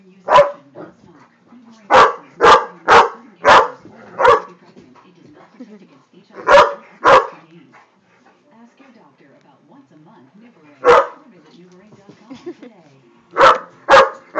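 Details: A Great Dane, which cannot stand a flame, barks loudly and deeply in short clusters of two to four sharp woofs, with quieter stretches between bursts carrying faint murmuring, possibly people talking.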